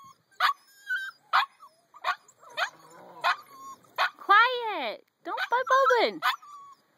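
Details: Eight-week-old puppies give sliding, descending whines and short yips, mixed with sharp tapping knocks at roughly one-second intervals and a quiet human voice.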